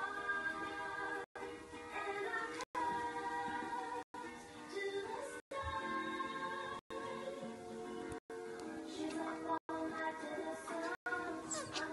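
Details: Upbeat song with synthetic-sounding singing over steady instrumental music, broken by several brief silent gaps; no animal voices.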